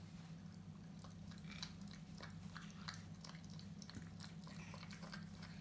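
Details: French Bulldog puppy eating: soft, scattered crunchy clicks and smacks at irregular intervals, fairly quiet, over a steady low electrical hum.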